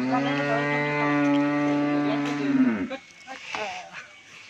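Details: Improved-breed Sahiwal-Brahman cross bull for sale on a Bangladeshi dairy farm lows in one long, steady, deep moo lasting nearly three seconds, dropping at the end, followed by faint voices.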